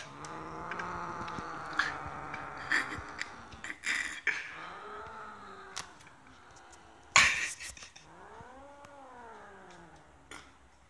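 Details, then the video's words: Pet cat Maisie, barred from coming indoors with her stolen prey taken from housemate cat Eddie, growls in rough bursts. Then comes a drawn-out, arching yowl that rises and falls, with knocks and a man's voice nearby. "Maisie growls when she doesn't get her way."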